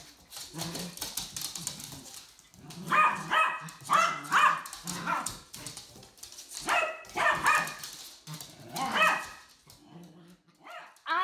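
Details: Two dogs, both described as senior, playing together: Fluffy Ronin, also known as Killer, coaxing his fur brother Cliff to join in. Bursts of harmonic yipping barks and grumbles come in clusters around three, four, seven and nine seconds.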